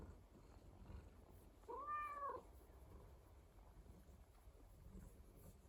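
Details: Pet rescue cat at home, a single short arched meow about two seconds in, otherwise soft low purring and quiet room hiss.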